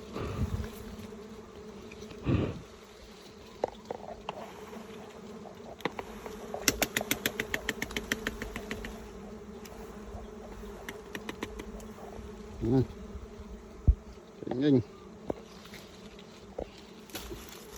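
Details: Fierce bee humming in a constant low drone that runs the whole way through. Bursts of rapid clicking and rattling cut in, and brief human voices are heard toward the end.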